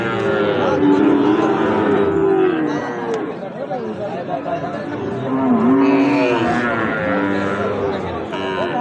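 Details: Sahiwal bull calves at Ambari market, held twice weekly on Friday and Monday, lowing repeatedly with steady, drawn-out moos amid a constant murmur of human voices and crowd chatter.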